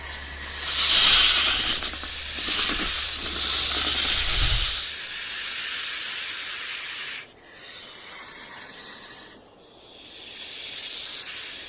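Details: A continuous hissing rattle from a rattlesnake in the wild, loud and dry, with two sudden dips near the end. Low rumbling sounds accompany the first four seconds.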